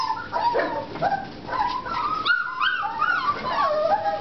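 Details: Several American Bulldog puppies, four and a half weeks old, whimpering together: overlapping high, wavering whines that slide up and down, nearly continuous, with a short lull before a louder rising squeal near the middle.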